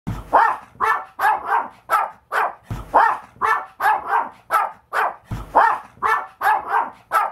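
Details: Maltese dog barking while spinning: loud, sharp barks in a steady series, roughly three to four per second, with a deeper initial bark opening each group of about seven, repeating every two and a half seconds.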